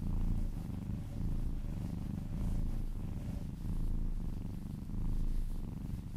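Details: Close, deep purring from a cat enjoying a massage, a dense rumbling vibration rising and falling in slow waves about once a second, with soft handling noise in the background.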